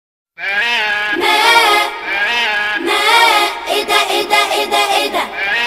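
A goat gives long, wavering, nasal bleats that break into quick pulsing stutters.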